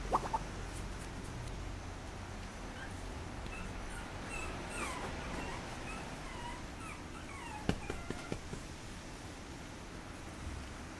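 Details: Papillon puppy whimpering indoors: thin, high, bending whines come in short clusters, rising and falling, mostly in the middle and after the eighth second, over a steady low hum with a few sharp clicks and knocks.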